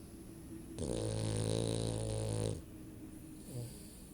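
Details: Female dog snoring while sleeping with her eyes open, indoors; one long, loud, rumbling snore lasting nearly two seconds with a strong buzzy low drone, then a fainter short breath.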